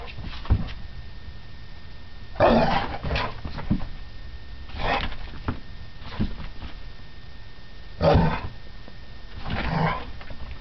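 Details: Two dogs, a 4 lb teacup poodle and an 80 lb lab/retriever, playing together: rough, noisy growling bursts about every two to three seconds, each lasting roughly half a second, with softer scuffling and huffing in between.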